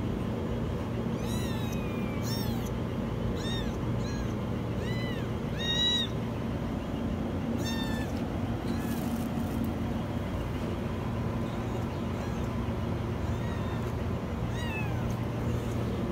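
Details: Kitten stuck in a washing machine crying with very high, rising-then-falling meows, several in quick succession early on, then sparser calls, all over a constant low mechanical hum.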